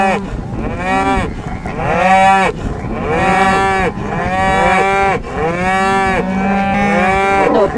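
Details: A bull on a farm on the Welsh Borders bellows repeatedly, about five drawn-out moaning calls, each rising then falling, following one another with short breaks.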